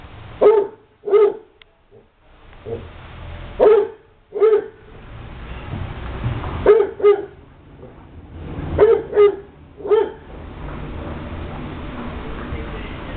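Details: Basset hounds at Light From The East Kennel barking during play: short, sharp barks in pairs and small clusters, about eight in all, spaced by brief pauses over roughly thirteen seconds, with low background rumble.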